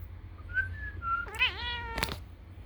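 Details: A domestic cat that is excited and talkative when whistled at, responding every time: a thin human whistle, then she answers with a bright, bird-like chirping meow.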